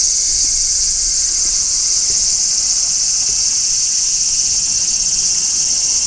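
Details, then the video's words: Large brown cicadas singing in midsummer, recorded on location near a tree: a steady, unbroken high shrilling buzz that holds without pause, with a faint pulsing texture and no other clear sounds. "Cicadas Singing in Midsummer | Large Brown Cicada"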